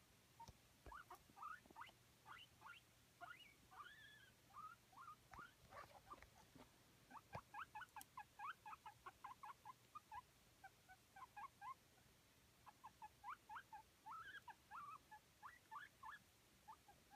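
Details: A male guinea pig in a cold room, his cage covered with a blanket, wheeks in rapid runs of short, rising squeaks, asking for food and water.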